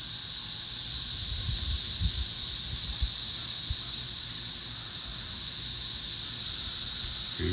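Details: Many cicadas flying around a garden potato patch, swarming the day the grass was cut. Their chorus is a loud, steady, high-pitched hiss that holds unbroken, with faint low thumps of handling beneath.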